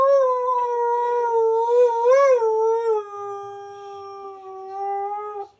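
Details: Indoors, a Husky/Malamute sings along to a TV advert with one long continuous howl, mostly level with a quick wavering rise in the middle, fading out at the end.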